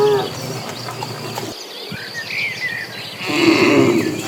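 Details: Dozens of cattle migrating as a herd toward green pasture; a low, droning moo with stacked harmonics fills the first second and a half, a second lowing swells near the end, with bird chirps and tweets overhead.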